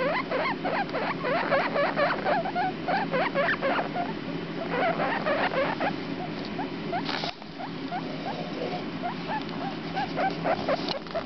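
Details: Two 4-day-old guinea pig babies, boy and girl known as the runt and Comet, squeak in dense quick bursts, short upswept notes crowding together, thinning out after a brief break, with a constant low hum beneath.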